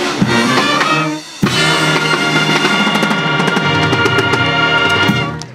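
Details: Band music with drum kit, bass drum and snare driving a steady beat under sustained instrumental tones, with no animal heard.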